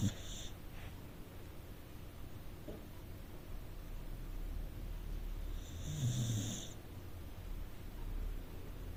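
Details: Sleeping rescue Corgi in a living room, giving a short hissy snore at the start and a fuller, rasping snore a few seconds later against quiet indoor background noise.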